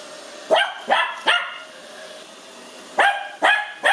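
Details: Cookie, a five-month-old male Lhasa Apso puppy, barks at a robot vacuum on meeting it for the first time, excited, afraid and curious. Sharp yappy barks come in two bursts of three, over a steady machine hum.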